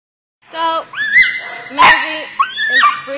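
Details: Dog at a daycare, excitedly playing with a big ball on a slippery floor; high, whiny yelps rise and fall in quick bursts, some held with a bent pitch, over about three seconds with slight clatter.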